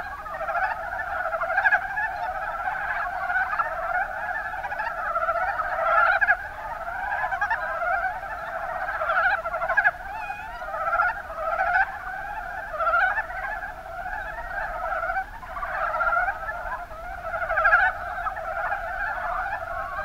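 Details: Long stretch of Mountain brown frog chorus from the Kuma Basin in Kumamoto, Japan; many frogs croaking at once in rapid clucking pulses, a constant overlapping murmur with repeated louder swells.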